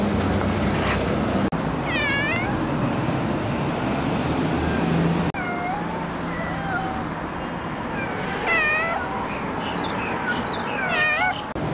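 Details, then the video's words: Street cats on a city street, eating, being affectionate and fighting, give a series of wavering, bending meows, several rising then falling, spaced a few seconds apart over a steady roar of traffic and background noise. "Cats Of The Street #1 - meowing eating loving & fighting"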